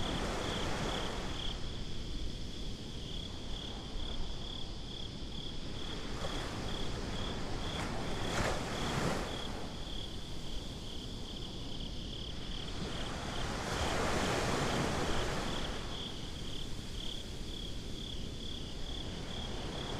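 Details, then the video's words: Crickets on a beach at night keep up a high, rapidly pulsed chirp, roughly three or four pulses a second, through steady wind and surf. Short bursts of gusting noise and a rolling wave interrupt midway in this binaural recording. "Crickets at the Beach"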